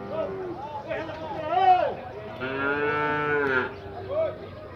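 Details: Nelore cattle at a livestock fair corral in Tabira, Pernambuco, Brazil, while animals are unloaded and sorted: several overlapping drawn-out moos, rich in harmonics, one swelling and sustained for over a second, with faint talk nearby.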